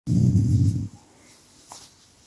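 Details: Pet dog growling in displeasure when its massage stops, with the camera held close; one low, rough, continuous rumble lasting almost a second, then near silence with a faint rustle.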